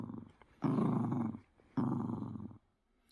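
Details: A poodle at play with a stuffed toy indoors gives two gruff, rumbling growls of almost a second each, separated by a brief pause, in a quiet room.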